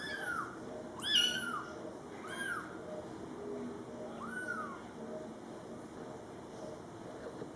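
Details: Scottish Fold kittens, born July 22, 2012, meow as mother cat Coco talks to them: thin, high, arched mews that rise and then fall, three or four of them spaced a second or two apart.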